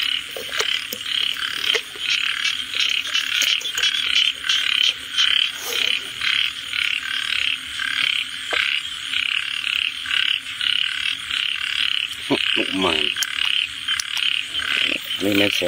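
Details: Frog calling steadily: short, harsh, pulsed croaks repeat roughly every half second to second in an irregular series over constant hiss. Near the end come brief wavering, warbling sounds from something else.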